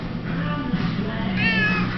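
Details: Cat at a bar playing on a pool table, giving a drawn-out meow that rises and wavers near the end, with a person talking and low background hum.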